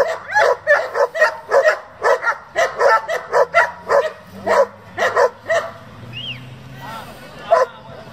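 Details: German Shepherd from a breeding and competition group giving a fast run of barks that stops after about five seconds, followed by a whistle-like sound and quieter background noise.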